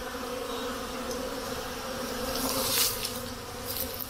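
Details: Spring buzzing of honey bees around hives at a honey hut as snow melts and temperatures reach 10 C; a dense, even hum that swells slightly near the end, with brief hissing rustles.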